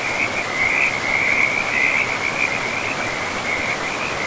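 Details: Frog chorus beside a forest river: a near-continuous high trilling band of rapid pulsed notes with brief gaps, carried over a steady hiss of running water.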